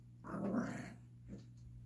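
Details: Yorkshire Terrier puppy Gracie growling while playing with a ball indoors, with a Lhasa Apso joining in: one short, rough growl of under a second, then a faint second rumble, with a person urging the dog to get the ball.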